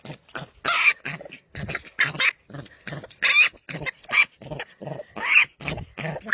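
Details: Little wild boar uttering a rapid, irregular series of short, harsh, noisy grunts and squeals, several ending in a thin high squeak, about fifty bursts a minute with brief gaps between.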